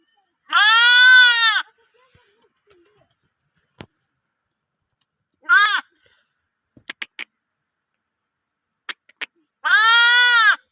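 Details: Sheep (lamb). A young sheep bleats three times, each baa loud and quavering with a rich, nasal tone, the middle one shorter. Between the calls come a few faint clicks and taps.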